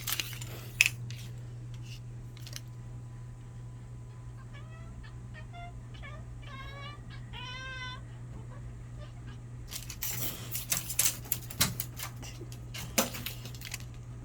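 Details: Pet cat during hunting play with a cat wand indoors gives a quick series of short, chirping, upward-bending calls in the middle, with rattling and clattering of the toy before and after and a steady low hum.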